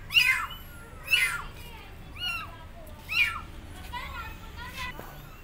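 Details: Abandoned kittens perched on a gate meow loudly for their mother cat, giving four or five high, piercing cries about one second apart that grow softer toward the end.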